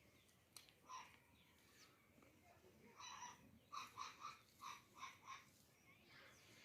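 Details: Baby goats playing with each other give short, high, nasal bleats, several in quick succession.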